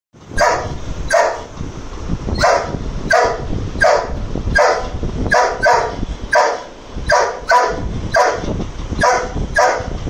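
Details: An angry Dobermann barks at a lizard. Deep, harsh barks come one after another, about one and a half per second, with slightly uneven spacing and no pause over ten seconds.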